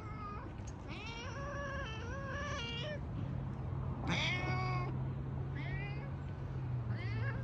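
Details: Cat making a wavering, yowling meow that rises and falls several times, then a harsh burst and two short mews. A steady low electrical hum and dense low background noise run underneath.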